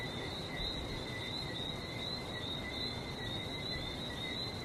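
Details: Barbados frog chorus, many callers blending into an unbroken shimmer of high-pitched chirps, with the broad, even roar of the sea underneath throughout.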